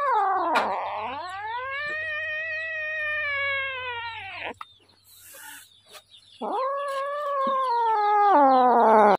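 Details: Hungry little kitten meowing loudly: one long, drawn-out, rich wail lasting about four seconds that rises then falls, a brief pause, then another strong sustained meow climbing in pitch toward the end.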